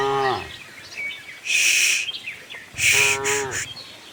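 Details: Friendly farm cows wander in search of green grass, giving two short, rich moos, one at the start and one near the end, with loud high bird chirps bursting in between.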